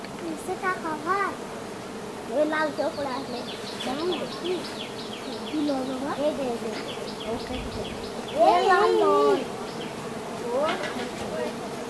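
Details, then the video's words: Giant honey bees swarming during a wild honey harvest in the forest, their dense buzzing hum wavering up and down in pitch as many insects fly close by, with louder surges around the middle and near the end. "Giant Honey Bee Harvest Honey"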